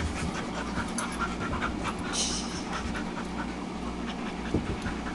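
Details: Husky Tetra and Red Lab Myla resting from play alongside visiting dogs Cole, Gypsy and Gracie, heard as continuous hurried, breathy panting from several dogs with a dense hiss and one soft thump.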